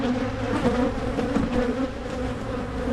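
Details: Colony of Carniolan honey bees in Michigan, hive opened for splitting to curb swarming; dense steady buzzing that swells and dips slightly, with occasional brief louder passes of single bees near the microphone.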